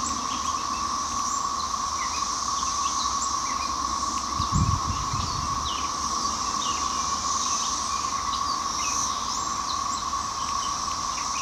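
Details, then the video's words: A steady, droning whir from a loud backyard chorus of 13-year Brood XIX periodical cicadas emerging in spring, unbroken throughout, with high scattered chirps and twitters from small birds and one brief low thump. "You can hear the chorus from the Brood XIX Cicadas."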